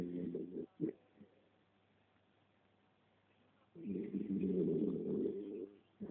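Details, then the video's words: Sleeping three-year-old female West Highland White Terrier snoring indoors; a short rasping snore opens, a pause of near silence follows, then a long, loud, rumbling snore lasting about two seconds. "Skye snoring"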